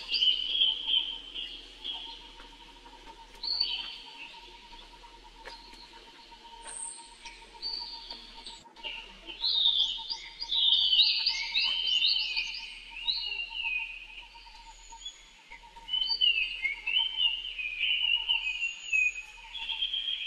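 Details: A young monkey brother calls for help with piercing, warbling wails that grow more intense in the second half, over a steady, fast ticking sound throughout.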